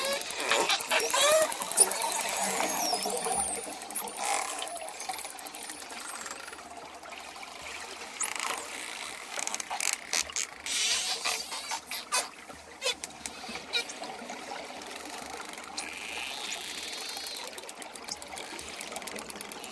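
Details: Dolphins mixed with ocean waves: high looping whistles sweep up and down while dense click trains and buzzing pulse bursts come in clusters, growing sparser and more staccato toward the end.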